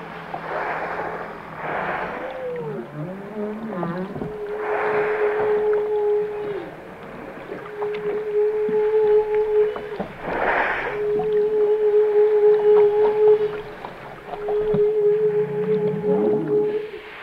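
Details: Song of whales: curving, wavering calls give way to repeated long flat moans ending in dips, mixed with washes of rushing water-like noise.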